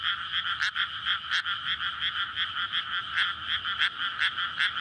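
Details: Night chorus of frogs in a flooded May rice paddy beside housing, calling in courtship as the fields are filled; loud croaks swell and fade in repeated overlapping bursts roughly twice a second.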